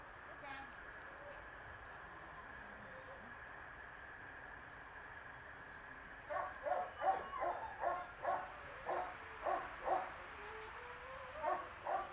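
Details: A 2.5-year-old female Boxer in training and socialisation at a dog centre, a dog once unrestrained and quick to react to every change around her. Steady background hiss for six seconds, then a run of sharp barks repeated about twice a second.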